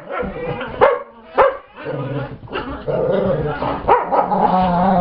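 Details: During a play chase, Brittany growls at housemate dog Chase as Gypsy joins the romp. Two sharp barks early give way to a continuous low rumbling growl with rough, buzzy texture, rising and steadying toward the end.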